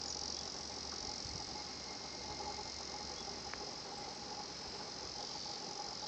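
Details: Higurashi cicada singing at the 新発地庵 nature spot: a steady, high shrill band of insect song runs unbroken throughout, with faint scattered chirps above it and a low background rumble.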